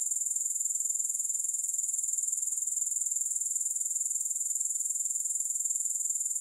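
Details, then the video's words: Grasshoppers keep up an unbroken, piercing high trill with an even pulse of roughly four per second, with no other sounds. "3 Hours of Grass Hopper Sounds"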